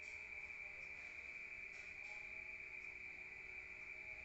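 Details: Countryside crickets at night, heard from inside a room: an even, piercing high trill that sustains without pause for the whole stretch, over a low quiet background hum.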